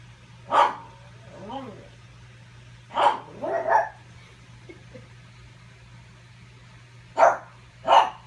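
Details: Pug barking at its reflection over a ball, sharp barks mixed with softer whining, rising-falling yelps, in uneven bursts against a low constant hum.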